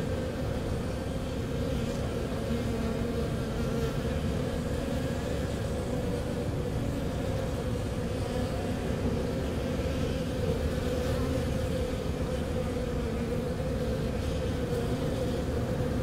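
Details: Honey bees kept by beekeepers in St. John's, Newfoundland, react to an unusually warm March day that reached 13°C. A steady, low droning hum of many wings runs unbroken throughout, over a soft rumbling background.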